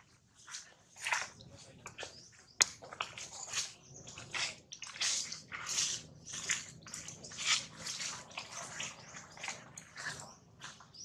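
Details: Baby monkey Jinx crying loudly after being bitten hard by another monkey, Jade: a run of harsh, high, noisy squeals in quick bursts, several per second, rising and falling in loudness over about eleven seconds.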